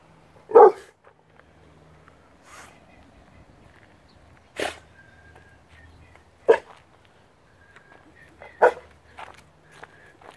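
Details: A six-month-old Rottweiler gives single, sharp barks spaced a couple of seconds apart.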